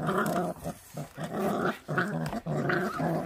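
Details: Feral dog puppy growling while eating, low rumbling growls in sustained bursts of about half a second broken by short gaps, repeated steadily throughout.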